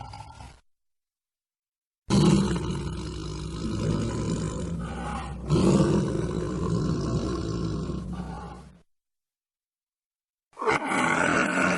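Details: At night, a tiger gives a deep, rumbling roar that swells and fades over several seconds.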